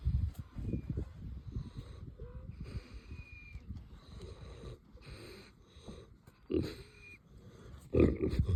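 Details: A Kunekune boar on a ranch snoring with whistling: rough low snoring breaths, short thin whistle tones slipping in between, louder snorts near the end.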